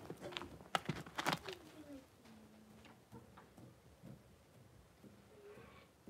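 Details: Five blenheim Cavalier King Charles Spaniel puppies, born at New Year to Paris and Spike, in a home puppy pen with their mother Paris, 26 January 2023: thin, high whining whimpers sliding gently downward, with sharp knocks and clatter at the start.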